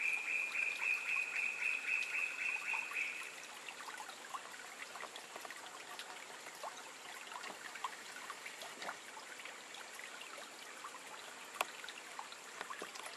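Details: A cururu toad (Rhinella icterica) gives a rapid, even trill for about three seconds beside a rushing stream at RPPN Corredeiras do Rio Itajaí, Itaiópolis, Santa Catarina, Brazil.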